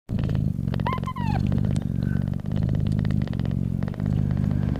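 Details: Mother cat purring loudly while nursing her newborn kittens; a steady low rumbling purr pulses continuously, with breath pauses about every second and a half, and a brief thin kitten mew near the start.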